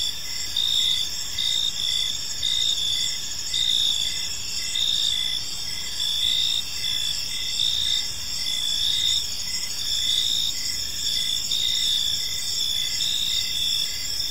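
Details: Crickets in a park on an evening, a steady layered chorus of high chirps and trills pulsing roughly once a second over a faint low background hum.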